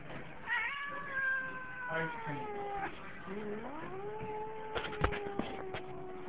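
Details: Domestic cat with a bad temper caterwauling angrily while a person tries to pet him indoors: long drawn-out wavering yowls, one sliding upward then holding, with a woman talking over the cries.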